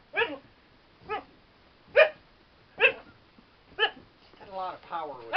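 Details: Playful Siberian Husky named Spirit, a female doing a bouncy CPR-like move, lets out five evenly spaced sharp barks about once a second, then a wavering whine-like howl, with a person's voice close by.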